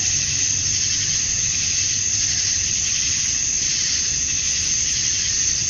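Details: Cicadas chirping at dusk on a summer night in Georgia, USA, males calling to attract females; a dense, steady high-pitched buzzing drone with no breaks, many insects blending into one continuous wash of sound.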